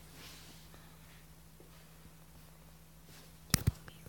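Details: A quiet indoor room with a steady low hum, broken near the end by two sharp knocks.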